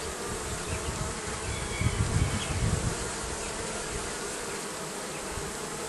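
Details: A dense hum of bees under the roofing carries on without pause, joined by a short burst of low rumbling near two seconds.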